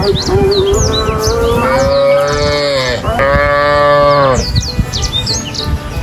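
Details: Cow giving a long, gradually rising moo lasting nearly three seconds, then a shorter second moo straight after, with small birds chirping in the background.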